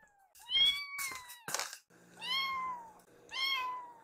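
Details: Foster kittens Yuki and Piyo, rescued babies, meow insistently while waiting for their meal; three clear drawn-out meows, the first sharper with a brief clatter behind it, later ones longer and gently falling, over a low indoor hum.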